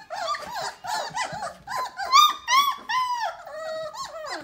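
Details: Litter of Basset Hound puppies, 3 weeks and 2 days old, in the whelping box indoors; high, whiny squeals and whimpers with rising-and-falling pitch tumble over one another, several per second, some calls drawn out longer.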